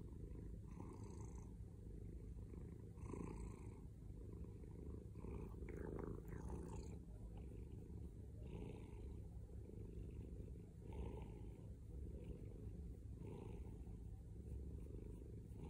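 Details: Steady loud purr of a male domestic cat, a low rattling hum cycling with each breath, plus a brief faint rustle near the middle.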